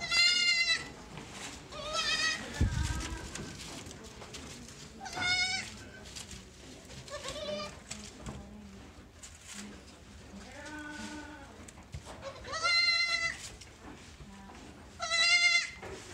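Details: Sojat and Totapuri goat kids of a new lot at Pune Goat Farms bleating: several high, wavering, nasal bleats roughly every two to three seconds, some overlapping, with faint farm background noise between calls.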